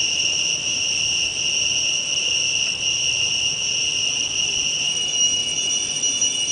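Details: Cicadas singing loudly, as they do at dawn and dusk: a continuous, unbroken high metallic buzz that holds steady at one pitch throughout, with no pauses and nothing else clearly heard.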